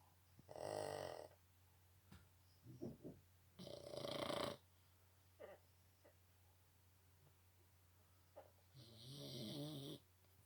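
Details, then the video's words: Boston Terrier snoring loudly indoors: rough, breathy snores in short bursts around one second long, separated by quiet pauses and small snuffles, with a steady low hum underneath. "Boston Terriers big snore."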